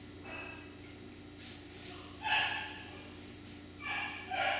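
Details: Miniature Schnauzer puppies producing a few short, high-pitched yelps and whines, one near the middle and two close together at the end, over a low steady room hum.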